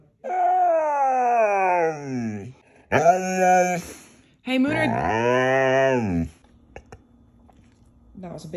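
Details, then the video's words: Moon the Siberian Husky chatting indoors: a falling, whining howl, then shorter rising and falling yowls in bursts, followed by quiet room noise. "listen to this talking dogs sassy moments"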